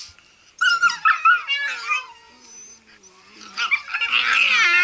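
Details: Blue Heelers at play give high, wavering whines and yips in short bursts, with a soft growl-like rumble in the quieter middle stretch and a denser, scratchy burst of vocalising at the end.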